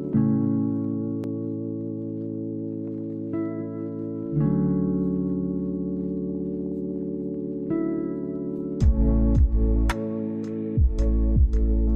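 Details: Calm ambient music of sustained gong-like tones, with sharp struck notes sliding downward near the end, and no animal sounds.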